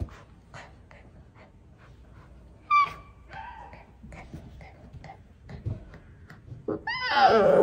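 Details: Baby tiger cub giving a short tonal squeal, then a louder, harsh, rising mewing cry at the very end, over soft rustles and light taps in a quiet indoor space.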